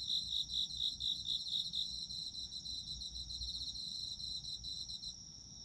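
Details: Autumn insect calls recorded for sleep ASMR: distinct pulsed chirps repeated about twice a second at first, then merging into a steady high trill that fades slightly toward the end over a low hum.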